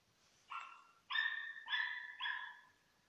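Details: Bagira, a German Hunting Terrier on a 2015 fox hunt, gives four sharp, high-pitched, harmonic yelping barks in quick succession, each held briefly, about half a second apart, against a quiet background.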